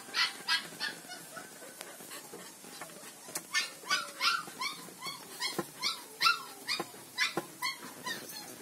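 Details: Black four-month-old village dog puppy, offspring of a dog named Blacky, at a village dog breeder; rapid series of short, arched, high-pitched yelping cries, nearly three per second, uneven in spacing and loudness.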